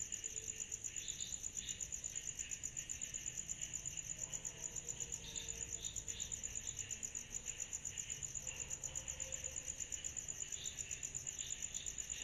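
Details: Night-time summer cicadas in chorus, a continuous thin high ringing pulsed about three times a second, joined by intermittent lower raspy bursts and faint low background noise.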